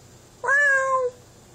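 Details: A domestic cat held indoors so it calls to another cat: one drawn-out, steady meow lasting well over half a second, clear and loud against faint room hum.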